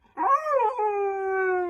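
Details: Siberian husky giving a short, talking-style howl: a wavering rise and fall, then a steady held falling tone, under two seconds, with an owner praising the dog nearby.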